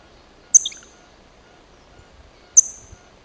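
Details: Chipmunk met at the first Stolb rock, giving two sharp high chirps about two seconds apart, each a quick bright note falling slightly, in quiet outdoor surroundings.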